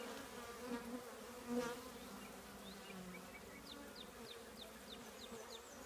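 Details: Soft, even hum from honey bees housed in an old trash can, quieter and steady, with thin high chirping of birds in the background.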